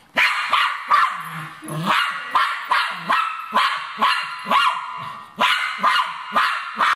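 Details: Cairn Terrier going after a rat, giving a rapid run of sharp, harsh barks, roughly two per second, loud and steady for the whole stretch with barely a pause between them.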